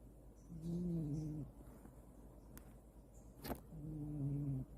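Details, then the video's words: A domestic cat snoring: two drawn-out, low, buzzy breaths, each about a second long and roughly three seconds apart, with a sharp click in the gap between them. "Cat snoring 코고는 고양이"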